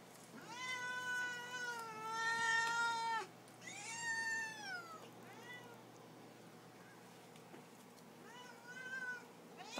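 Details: Pet cats meowing for their supper, asking for food: a long drawn-out meow with a falling tail, then shorter rising-falling meows, about four calls over ten seconds with quiet gaps, in a quiet room.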